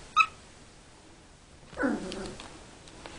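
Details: Male Border Collie puppy, three and a half weeks old, one of a litter of six kept indoors in a large box, calling to get his sister to play. One short, sharp, high yip, then a lower, rougher murmur and faint rustling.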